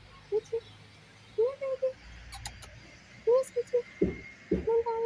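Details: A tiny stray kitten that doesn't trust humans gives short, tonal mews in quick clusters, each slightly rising then level, with brief pauses between bursts; a person's coaxing voice and soft clicks break in near the end.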